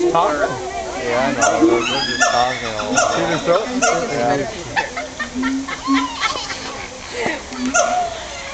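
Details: Siamangs at Woodland Park Zoo, Washington, give loud, swooping, tonal calls that rise and fall in pitch, with bark-like notes, during a bout lasting about 15–20 minutes.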